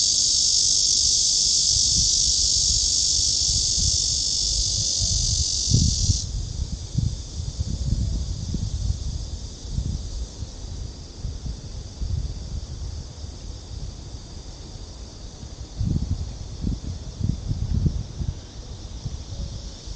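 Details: A summer cicada chorus at Gwanggyo Lake Park in Suwon, Korea, 16 August 2022, heard along the walking trail. A loud continuous high buzz drops sharply to a quieter steady drone after six seconds, with footsteps and soft thuds below.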